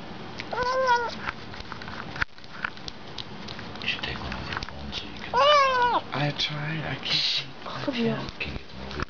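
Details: Bengal cat calling while eating, short bending meows scattered through the recording, one longer wavering cry midway, mixed with human speech and indoor clatter.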